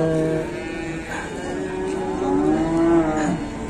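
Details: Restless penned cattle, described as fierce, give low drawn-out moos mixed under steady music and background noise.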